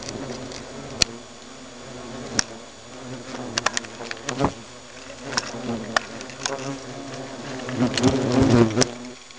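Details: Alarm in a hornet nest: layered wingbeat buzzing with wavering pitch, broken by sharp irregular clicks and taps, the drone swelling louder near the end.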